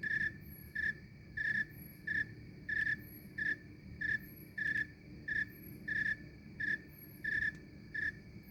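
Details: A snowy tree cricket chirps on a summer night in Maine, giving soft, even, high trills that repeat about every two-thirds of a second.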